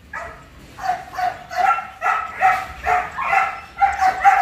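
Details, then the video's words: Belgian Malinois, a large 47 kg dog, in training: a run of harsh barks repeated more than twice a second in short clustered bursts, with no other clear sounds. "Huấn luyện chó Malinois siêu bự 47kg"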